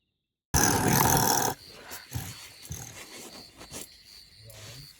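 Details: Two honey badgers squabble at night near tents at Magotho campsite, Khwai area, Okavango Delta panhandle, Botswana: harsh, rasping aggressive growls burst out loudly, then fade into softer grumbles over a steady cricket trill.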